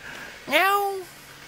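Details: One of two cats standing guard in a vegetable garden in Jeonju, North Jeolla Province, Korea, gives a single half-second meow that swoops upward, then glides slowly down, full and harmonic, over a quiet background.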